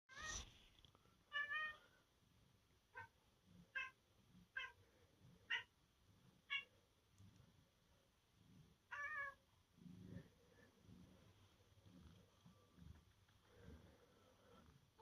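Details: House cat at home on a rainy laundry day, wanting to play; a string of short, chirpy meows, about a dozen spaced roughly a second apart, some doubled, followed by soft low thumps and rustling.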